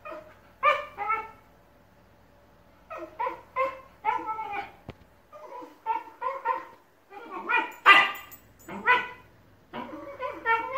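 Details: Two Shiba Inus argue at length over who gets the ball, trading short yowling, harmonic-rich vocal bursts in quick clusters, with brief pauses between exchanges; indoors.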